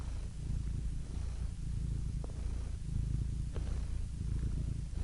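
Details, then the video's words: House cat purring close up, a dense low rumble that runs almost without a break, with a couple of faint clicks in the background "Soothing Cat Purr Sound Effect"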